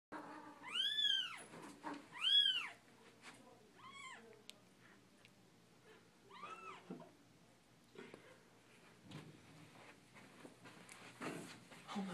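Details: Mother cat carrying her kitten to her bed indoors, giving loud arched meows, two strong ones in the first three seconds, then softer, shorter mews; rustling and a person's brief exclamation near the end.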